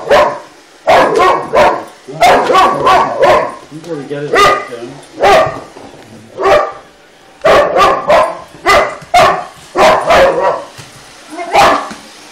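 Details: A Boxer dog, Shoeless, challenging a toy robot with bouts of harsh barks in quick clusters, broken by brief lulls where faint electronic tones from the robot sound.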